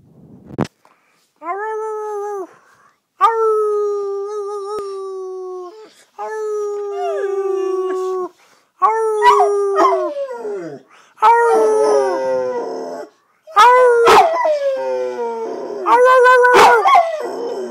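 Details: Thor, a pet red-nose pit bull, howls in a series of long tonal notes about a second or two each, held steady then sliding down, with short gaps between and rougher, broken howls toward the end.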